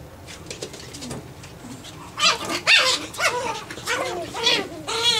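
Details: Playing Japanese Chin puppies at nine weeks of age: after a quiet start with soft scuffling, a burst of shrill, wavering whines and squeaky yelps follows, repeated roughly twice a second, with one long quavering whine at the end.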